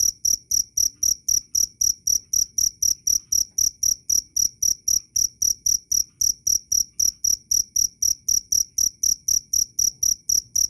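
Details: Cricket recorded loud and clear as a training recording for songbirds: strong, high-pitched pulsed chirps repeated about four times per second in a steady, even rhythm, with no other sounds.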